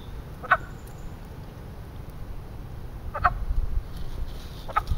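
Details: In spring at a small man-made pond in western Pennsylvania, a frog's mating sound: three separate short, sharp clucks spaced seconds apart against a quiet low background.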